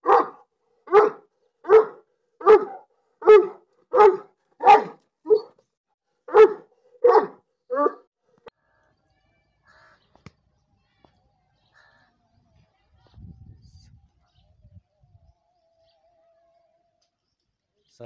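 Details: Pakistani Bully, also called Bully Kutta, barking: about a dozen loud, full barks roughly every 0.7 seconds for eight seconds. They stop abruptly, leaving near silence with a faint low rumble later on.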